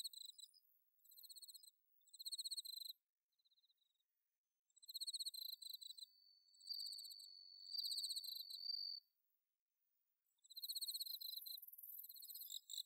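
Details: Bell cricket from rice fields at Inba-numa, Chiba, Japan, on an autumn night, recorded with a Zoom H6: scattered bursts of high pulsed trilling with pauses between, one sustained ringing note midway, and a denser shimmering chorus near the end.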